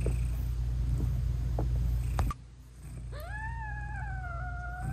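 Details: Nursing British Shorthair mother cat talking to her newborn kittens: a low continuous rumble of purring, a soft click, then one long drawn-out meow that rises and slowly falls. No music.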